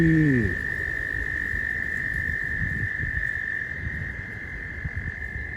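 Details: Frogs calling at a pond near a roadside during mating season, when the recordist could get unusually close. A steady, unbroken high trilling drone holds throughout, with a brief falling tone at the start and gusty wind rumbling underneath.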